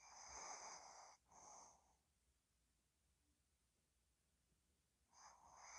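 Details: Ddochi the dog asleep, giving a breathy wheezing snore split in two by a short gap, followed by several seconds of quiet before the next raspy snore begins.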